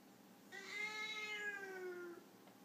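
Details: Foreign White cat, a Siamese-type breed, in a disagreement: one long, even, slightly falling meow rich in harmonics, lasting about a second and a half.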